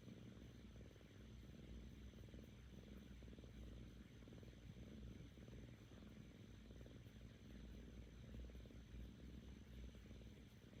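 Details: Contented seven-month-old female Korean shorthair kitten purring with her owner; a dense, low vibrating rumble running almost without pause, its breath cycles only faintly marked, recorded very close.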